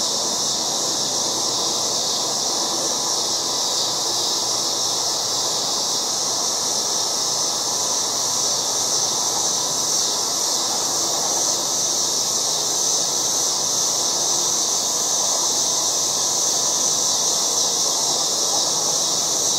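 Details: Many cicadas droning in a yard during August, their steady high sizzle filling the whole stretch without breaks, over a soft lower hum.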